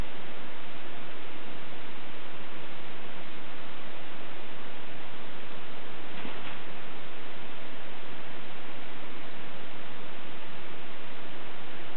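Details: Loud continuous hiss of broadband noise, like running water or static, filling the whole recording with no animal sound.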